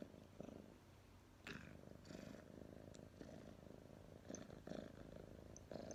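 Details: Tomma, a pet cat, purring on 23 October 2019: a low continuous rumble broken by short breathy swells, with a few sharp faint clicks early on.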